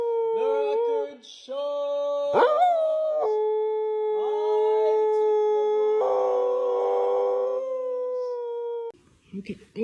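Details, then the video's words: Dog 'singing' in repeated howled notes, short rising yelps then long level held tones, with people's voices faintly behind. "Singing Dogs"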